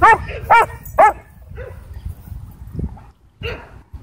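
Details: Sheriff's K-9 Belgian Malinois at a Texas dog park, trying to attack: three quick sharp barks in the first second, then fainter scattered yelps and low background noise.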